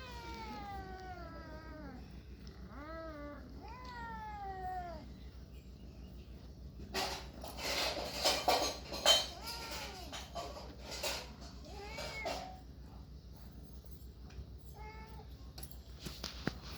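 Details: Cats and kittens meowing: three rising-then-falling meows in the first five seconds, then a burst of clattering and rustling noise mixed with several short high mews, a final brief meow near the end.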